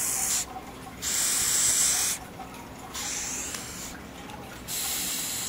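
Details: A captive Madagascar hissing cockroach, one of four kept in a tub, gives loud, breathy hisses in bursts of about a second when startled. It forces air out through small holes in its back.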